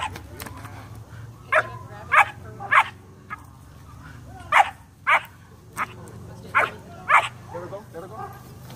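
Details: German Shepherd puppy, 12 weeks old, barking repeatedly while doing bite work with a rag: about ten quick, sharp yipping barks, some in pairs, over a low rumbling background with faint speech.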